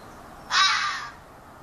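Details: A young local fox calling in a yard, possibly a female calling for him, gives a single harsh, raspy scream lasting about half a second.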